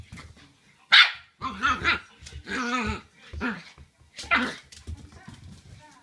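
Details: Young Shiba Inu at home, just after its owner comes back, barking angrily at the owner's smelly feet; two sharp barks stand out, mixed with whiny, drawn-out vocal sounds and a human voice.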